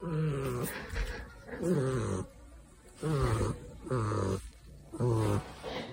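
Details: Exotic Shorthair cat snoring, with five rhythmic low, rumbling snores about every 1.3 seconds, each a throaty harmonic drone separated by quieter breaths.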